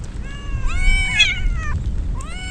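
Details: Stray kittens soaked in the rain as a typhoon approaches, crying out loudly: two drawn-out, harmonic meows, the first rising then falling and the second shorter, over a steady low rumble of rain.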